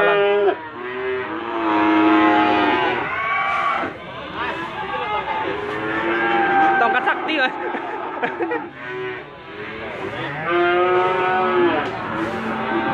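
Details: Limousin cattle at the Gondanglegi animal market, Malang, East Java, 12 February 2020. Repeated loud moos come roughly every few seconds, some overlapping as several animals call, with voices and engine noise from the crowded market behind.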